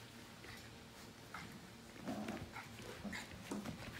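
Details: Five-week-old Portuguese Water Dog puppies from the Grand Ole Opry litter (Libby x Nash), playing indoors in the morning. Soft, brief whimpering yelps rise from a faint room background with light shuffling and patter.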